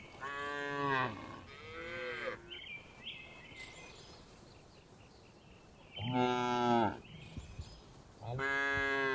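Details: Tame village cows herded home to the barn in the afternoon, giving loud drawn-out harmonic moos, two at the start and two near the end, separated by a quieter stretch with faint chirps.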